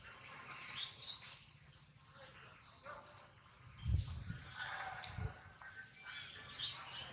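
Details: Baby monkey Adler cries from hunger and for his absent mother while held by a small monkey: piercing high squeals in bursts at the start and end, quieter whimpers and low thumps between.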